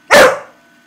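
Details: Staffordshire bull terrier crossed with a Rottweiler, a male dog having a little chat: one short, loud, harsh bark after a woman repeatedly says she loves him.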